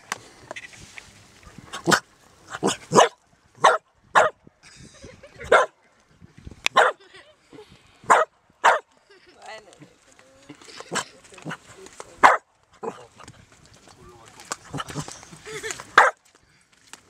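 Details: A dog barks at a crab in Marstrand, Sweden. Short, sharp barks come in uneven bursts, about fifteen over seventeen seconds, some in quick pairs, with people talking in Swedish between them.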